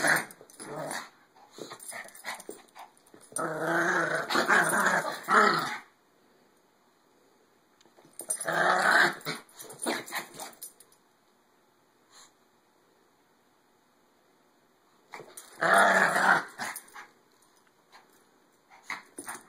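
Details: Several Maltese dogs wrestling in play let out loud rumbling growls in three long bursts, each several seconds, broken by quiet gaps with faint scuffling in a small indoor room.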